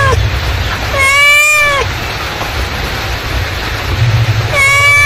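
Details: Domestic mother cat calling with two long meows, each holding steady then dropping at the end, separated by a pause of about three seconds, low hum underneath.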